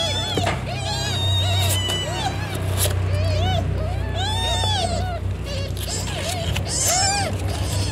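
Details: During the birth of Cimoi's kittens, a domestic cat setting: scattered thin, arched mews rise and fall in short bursts, mixed with sharp clicks and a steady low rumble in the background.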